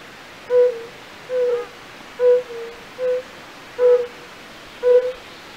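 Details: European fire-bellied toad (Bombina bombina) calling from a pool in the castle park at Raduň, Opava district, Czech Republic, where many are active. Soft, mellow, hollow 'oonk' notes, six in under six seconds, evenly pitched, spaced roughly a second apart.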